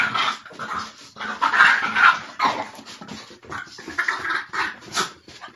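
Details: Mochi, a Boston Terrier and French Bulldog mix, wrestles playfully with Curro. Loud, continuous grumbling growls rise and fall in quick pulses, mixed with panting breaths.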